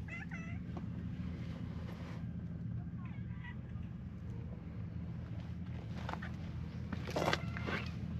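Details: Stray cats crowding around, short meows near the start and again around 3 seconds, with brief bright noises later over a constant low rumble and faint voices.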